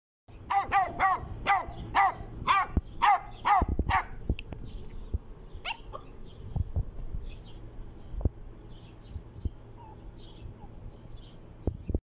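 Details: Two-month-old fawn Pit Bull puppy barking: a quick run of about nine high, sharp yaps over four seconds, then scattered thumps and small noises with a few faint squeaks.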